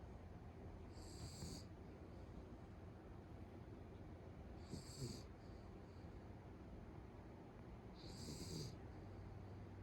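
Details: Beagle asleep at home, snoring heavily: three breathy snores about every three and a half seconds, each a noisy hissing burst over a low steady hum.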